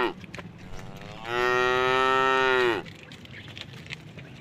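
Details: A single sustained, nasal moo of about one and a half seconds, level then falling at the close, from a tame cow crossing a puddle on a forest-edge road.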